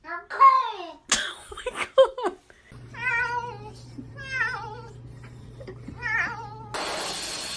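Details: Domestic cat being bathed, giving a run of loud, wavering, drawn-out meows that bend up and down in pitch, with a steady low hum underneath and a burst of hissing noise at the very end.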